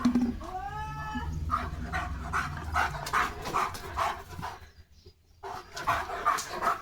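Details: German Shepherd running hard after spotting another dog: a brief harmonic whine rises, then a run of quick, sharp barks about every 0.4 seconds, pausing near the end before resuming.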